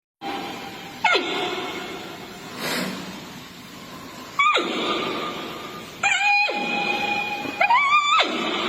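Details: Giant panda calling in a few drawn-out, tonal bleating notes, each starting abruptly and holding a steady pitch for about a second, repeated roughly every one to two seconds.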